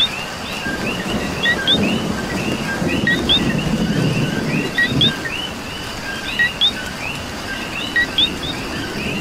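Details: Puerto Rican coquis calling through rain, high upward-flicking chirps paired with lower notes, sounding from many frogs together while heavier rain drums in a low rumble during the first half.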